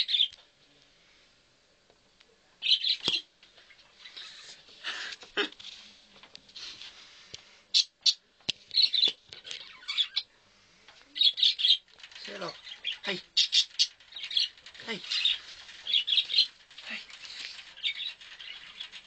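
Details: Chinchilla sounds: short descending squeaks sliding down to a low pitch around twelve and fifteen seconds, set among frequent high, hissy rustling bursts and scratchy noises throughout.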